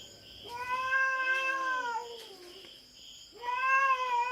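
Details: Feral cat on a Philippine farm, raiding the farm cats' territory and squaring off with a black cat: two drawn-out, wavering harmonic yowls that rise and then sag, about three seconds apart, over a steady high insect-like hum.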